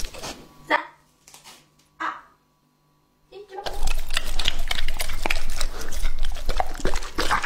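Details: Male English-type Labrador Retriever Lucky, two and a half years old, at a raw-meat meal. A few soft isolated mouth noises and near silence give way to loud continuous crunching and slurping chews.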